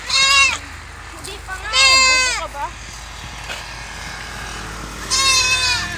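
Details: Three loud, quavering bleats from kept goats described as harmless but very playful, the middle one long and bending downward. Quieter gaps between them hold a low hum.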